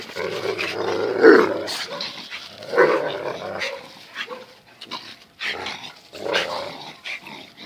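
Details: During the daily wrestling match between the dogs Zion and Tyson, throaty growls rise and fall in rough surges about every second or two, mixed with panting snorts.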